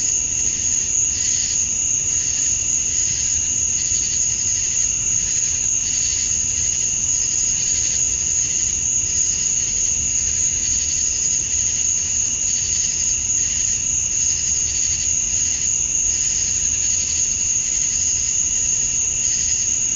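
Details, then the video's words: Male cicadas chirping to attract females at summer dusk in Georgia, USA: a dense, unbroken high shrill with a steady piercing whine on top and a softer buzzing band below, pulsing gently about three times a second. "Cicadas at Dusk, Summer Night"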